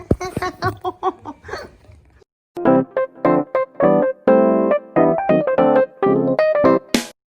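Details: Bright electric piano and keyboard melody in short, bouncy phrases, pausing briefly after two seconds and ending on a high flourish; no animal voice.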